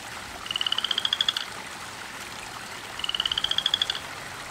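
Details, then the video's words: Very loud frog in a garden at night, calling from about 5pm until 5am: two matching pulsed trills about two seconds apart, each roughly a second of rapid bright clicks rising slightly, over steady background hiss. "Loud Mouth Frog"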